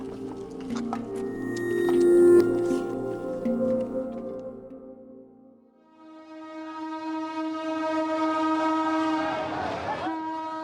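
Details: A train horn sounds over rumbling rail noise, followed by a long steady musical tone. No animal voice can be picked out.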